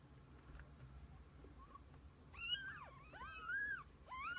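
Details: Kittens and their mother cat together through the day; a faint early mew, then three longer wavering cries in the second half, sliding up and down, against a steady background hum.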